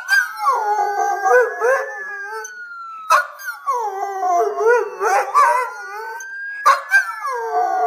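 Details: Mr. Thurgood the Schnauzer howls along to a siren, a noise he does not like. Bursts of wobbling, rising-and-falling howls with yelping breaks repeat over a steady wailing siren tone in the background.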